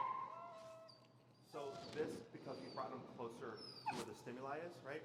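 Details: Finnegan, an extremely vocal feral husky, protests during heel training in Chicago, disagreeing with the behavior being taught. A wavering whine slides down in pitch, then gives way to a run of throaty, talk-like yowls.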